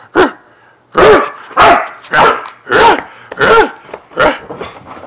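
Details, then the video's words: Siberian Husky indoors, zooming wildly around on a bed, gives a run of seven loud, harsh barks, roughly one every half to three-quarters of a second, each a short, ringing, yelping bark. "Siberian Husky Freya Goes Crazy With Zoomies On Bed!"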